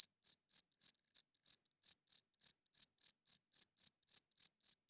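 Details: Loud night chirping of a cricket, short shrill bursts roughly three per second, slightly uneven spacing with a few faint extra ticks between chirps; background otherwise silent.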